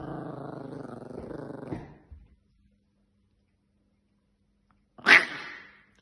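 An angry Yorkshire Terrier growls low and continuously, then lets out one sharp, high bark.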